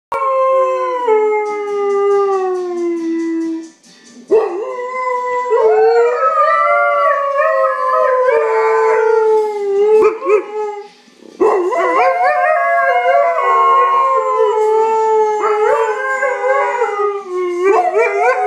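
Siberian Huskies howl in long, wavering, overlapping tones that slide up and down together.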